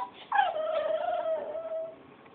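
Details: A young pet dog gives one drawn-out, steady whimper, a thin tonal whine holding level for about a second and a half before fading, the sort of cute puppy noise made at home.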